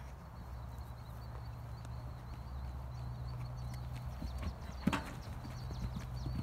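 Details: Green Thoroughbred mares Betty and Harlow, ex-racehorses retired in September, schooling over jumps on their first courses, about their fifth time jumping, at an off-property jump school. Scattered dull hoof thuds over a steady low hum and a thin wavering high whine, with one sharp louder strike.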